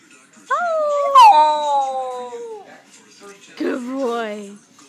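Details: A pet Shetland Sheepdog howling: a howl rising sharply then gliding slowly downward for about two seconds, followed after a pause by a shorter wavering descending howl, with faint speech in the background.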